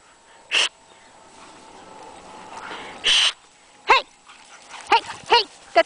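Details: Two cattle dogs, Aggie and Rudy, playing together in a back yard: two rough noisy bursts followed by four short, sharp yipping barks, with a person's voice nearby.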